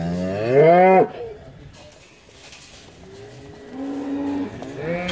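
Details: Limousin cow on the winter trek from polder to deep-litter barn in the Hunzedal stream valley, Netherlands, where the herd grazes; a loud, rising one-second moo, a pause, then a longer, lower moo and the start of another.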